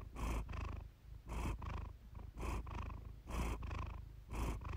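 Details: Iris the cat purring contentedly near the microphone in a calming recording; soft low drone alternating with stronger breathy swells roughly every second.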